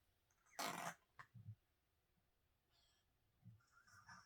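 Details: Crumbs, a senior feral cat living with cancer, gives one short, harsh, noisy gasp lasting about a third of a second, then a few faint low snuffles in an otherwise quiet setting.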